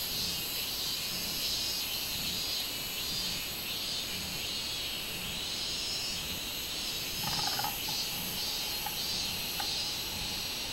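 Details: Minminzemi, the robust cicada, recorded 24 July 2016: a continuous shrill high drone that pulses in regular swells, with a brief lower rattle near the end.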